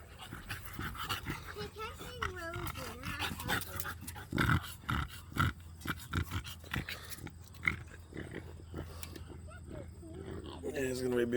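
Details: Six-week-old pit bull puppies, one named Zeus just back from having his stitches removed, letting out wavering high whines and squeals in quick bursts early on, then snuffling and scuffling amid a person talking.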